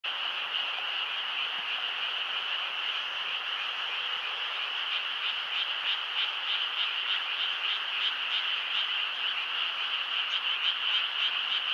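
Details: Frog chorus keeping people awake, a dense, continuous trilling band of rapid croaking pulses that holds steady throughout, with slight swells in loudness and no other clear sounds.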